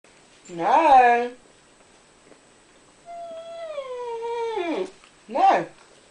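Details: Pet husky indoors talking to a person while begging for toast: a rising-falling whine, then a long drawn, gliding howl-like moan slowly sinking in pitch, and a short yelp at the end.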